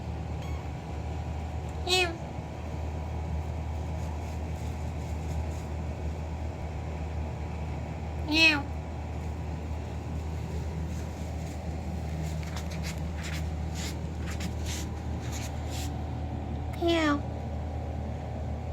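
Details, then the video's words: Indoor kitten calling out to get its owner's attention, giving three short, sharp meows several seconds apart against a constant low electrical hum, after a person asks what it wants. "kitten meowing loudly to attract me"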